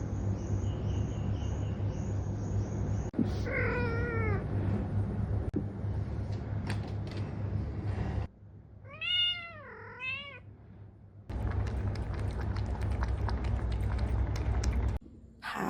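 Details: Pet cat brought outside into soft morning sunshine on a fine morning, giving drawn-out meows that rise then fall: one near four seconds, two close together around nine to ten seconds, separated by abrupt cuts and a steady low background hum.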